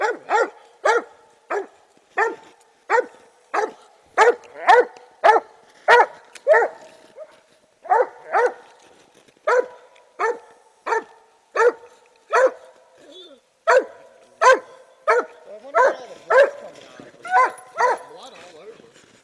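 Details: Clover, a Treeing Walker Coonhound, barks in a steady series of loud, sharp chops roughly every half second, with a few brief pauses between bursts; some quieter rustling and shuffling is heard near the end.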